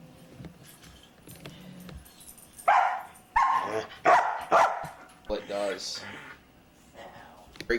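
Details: Luca, a very talkative foster dog, giving a run of loud harmonic barks and yowling vocal noises indoors after soft speech, with an owner speaking and brief music nearby.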